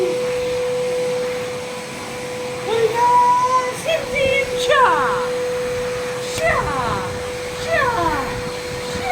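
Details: Reacting to a vacuum cleaner at home, Leo, a male working-line German Shepherd, gives a thin rising whine followed by several wavering, yelping howls in the second half, all over the appliance's constant drone.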